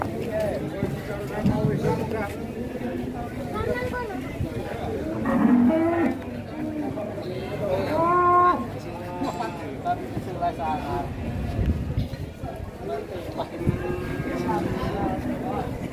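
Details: Cattle being unloaded from a truck. A low, drawn-out moo with stacked harmonics stands out midway through, set against steady chatter and men's voices talking throughout.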